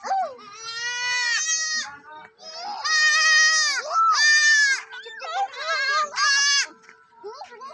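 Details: Baby goats, four kids, bleating: long, wavering, nasal bleats about a second each, three loud ones in close succession with shorter quavering cries between, and softer tonal sounds underneath.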